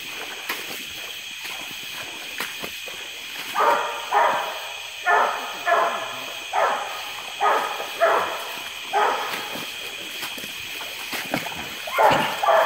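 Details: Treeing Walker Coonhound treeing in a small wooded swamp near Porter Bayou, Indianola, Mississippi, on a hot July 12, 2016 after recent rain; after a quiet start, about eight loud hoarse barks come every second or so over a steady high drone.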